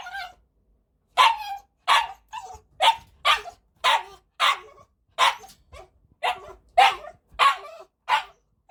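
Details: After a short pause, a 7.6 kg male Cavalier King Charles Spaniel kept as a pet barks in a rapid, fairly even series of about twelve sharp, high barks, roughly one every half second.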